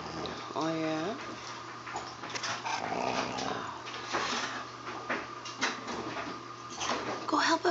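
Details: Siberian Huskies named Free Four and Vera playing with a puppy; a drawn-out wavering whine with stepped harmonics early on, followed by scuffling play noises, short yips and faint human speech.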